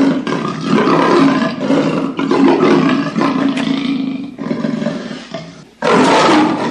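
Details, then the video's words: Leopard roaring: harsh, raspy, throaty bursts fill nearly the whole stretch, with short breaks near two and four seconds, a quieter fading passage, then a loud renewed roar starting near the end. "Leopard Roar"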